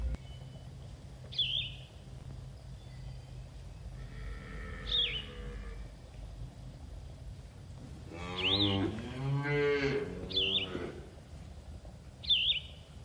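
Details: Herd of farm cattle grazing in a green field; one drawn-out low moo swells and fades over about three seconds midway. Short, high chirping bird notes repeat every few seconds throughout over a steady low background rumble.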